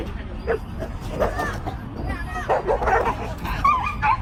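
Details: Dogs in a scuffle give short, rough barks and higher yips in uneven bursts, tangled with people's excited voices talking over them throughout.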